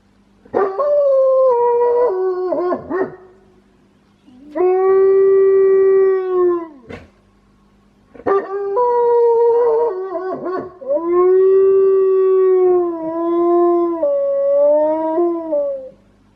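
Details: Wolfdog kept as a house pet, known for a quirky, odd-sounding voice, howling in several sustained, wavering tones. Some phrases step down in pitch and others bend upward, separated by short pauses and two longer silences.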